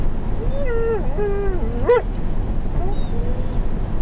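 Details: Zeenah, a female pet dog inside a motorhome, 'talks' because she wants her bone: drawn-out, wavering whined tones that rise and fall, over a steady low engine hum, with a person's voice nearby.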